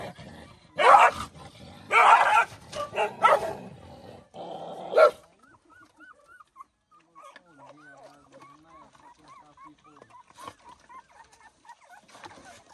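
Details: Mother dog guarding food for her puppies barks in loud, rough bursts during the first five seconds; afterward soft, high, arched whines from the puppies repeat quietly to the end.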